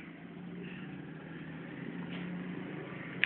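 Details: A steady low hum and room noise fill the short stretch, ending in a brief click.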